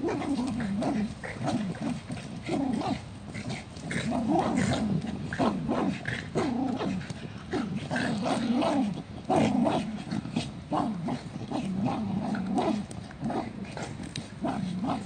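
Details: Jack Russell Terrier, part of a 2017 funny-dog compilation, keeps up a long, wobbling vocal grumble for about fifteen seconds. Low, bending tones come in uneven bursts of a second or two, with brief gaps and a few short yips.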